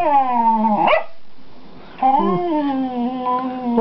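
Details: One of two pet dogs, Gwenny and Rhett, giving a long yodelling howl that breaks sharply near the end, then after a short pause a second sustained, slightly wavering tonal howl.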